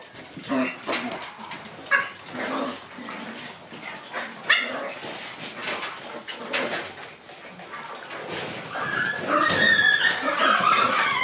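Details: Shiba Inu puppies running around their puppy room in the morning sun, giving short high yips and whimpers in scattered bursts, with rustling and scrabbling throughout and a brighter, busier stretch of squeals near the end.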